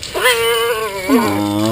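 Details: Female pet cat protesting during her monthly bath with human soap: two drawn-out, harmonic meows, the first held steady and slightly rising, the second pitched lower and sliding downward into a low, sustained moan.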